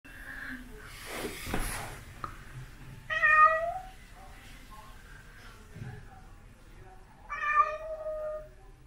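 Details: White and ginger male domestic shorthair cat meowing because he wants to go outside: two loud, harmonic meows about four seconds apart, each roughly half a second long, after a brief rustling noise, in a quiet indoor setting.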